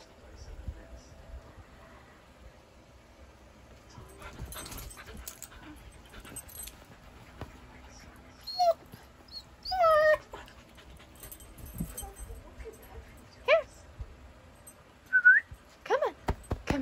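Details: Siberian Husky puppy Kenai, chased by a shih tzu and coaxed to jump onto a bed, gives scattered high, thin whimpers and short yips, mostly in the second half, over low rumbling household noise and a person's encouraging voice.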